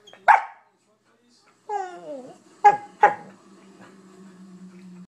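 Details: Corgi-mix dog Rufus, often bored and prone to whining when ignored, lets out a sharp bark, a sliding descending whine, then two quick barks in succession, followed by a low steady hum.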